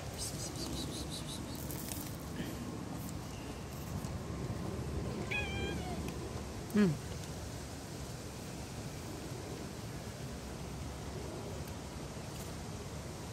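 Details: Stray cats living on the street chase someone for food, giving two brief meows a second apart, the second louder and falling in pitch, against constant outdoor background noise.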